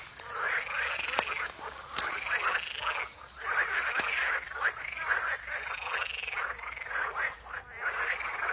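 A chorus of frogs fills the air with rattling, pulsed croaks that rise and fall in regular bursts. Several callers overlap, keeping up a steady rhythm against a faint natural background.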